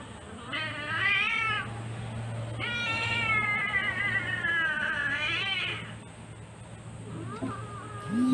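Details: Sweetie, a female Siamese cat having her claws cut, gives two long, strained meows with a pause between them, each bending up and down in pitch, then a short softer cry near the end over a low steady hum.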